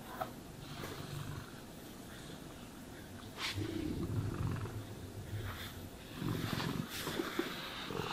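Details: Cat purring while groomed, deep pulsing rumble that strengthens in bursts, mixed with sharp brushing swishes and rustling.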